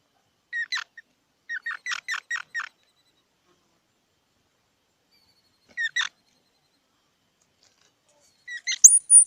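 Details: Squirrel uttering short bursts of squeaky chirps, a brief pair followed by a run of five rapid notes, a lone chirp later, and a sharp, high rising squeal closing out the sequence.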